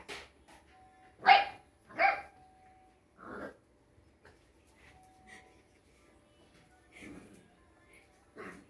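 A Rottweiler puppy gives short, sharp barks, two loud ones close together, then softer yaps.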